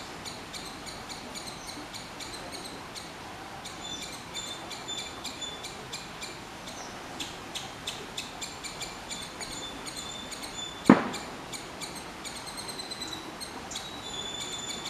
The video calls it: Squirrel's sound of call.